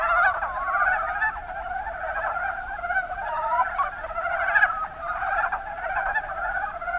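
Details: Several mountain brown frogs, Rana ornativentris, in Japan's Kuma Basin, Kumamoto, give overlapping rattling croak series, each a fast run of clucking pulses, forming a steady, busy chorus.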